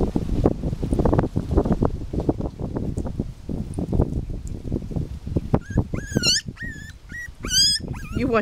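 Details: Five-week-old Miniature Pinscher puppies exploring and eating: a few high, thin whines rise and fall near the end, after soft clattering and a woman talking gently.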